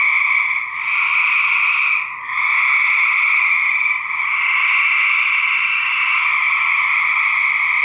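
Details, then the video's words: Male gray treefrogs during a fight, recorded in 2010 for research: dense, continuous trilling in two steady bands from many overlapping callers, with brief dips in loudness near the first and second seconds. "Gray Treefrog Fights 2010!"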